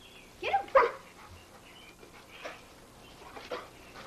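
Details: Sadie, a Pit Bull filmed in 1983, going crazy as bubbles are fed to her, with an American Eskimo dog and a Norwegian Elkhound nearby: two sharp high yelping bursts early on, then softer scattered yips later against a quiet background.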